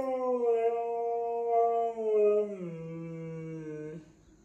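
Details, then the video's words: Pet Siberian Husky indoors 'saying I love you': a drawn-out, tonal, talking howl of about four seconds, held level at first, then stepping down in pitch over three joined syllables before stopping, with no other sounds. "Husky saying I LOVE YOU"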